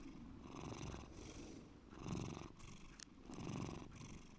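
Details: Bear the cat purrs deeply, a continuous low buzzing rumble that grows louder and softer with each breath, about three cycles, with a faint tick in between.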